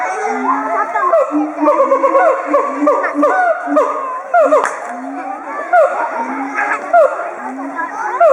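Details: Threat chorus of two siamangs, throat sacs swelling, at Chiba Zoological Park in October 2013; dense series of booming hoots and upswept barks, pulsing irregularly with bursts of loud whoops, crowds of excited children around the enclosure.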